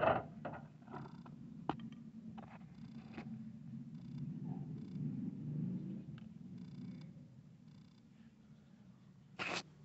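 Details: Domestic cat while a kitten plays with an adult cat indoors: a steady low rumbling purr runs for about eight seconds, with scattered soft thumps and rustles of movement and a brief sharp noise near the end.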